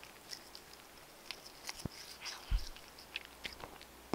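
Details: Cats crunching dry food and eating wet food and bonito flakes, recorded on simple equipment: crisp crunches and clicking bites, a few louder dull knocks near the middle and end, over a low steady hum.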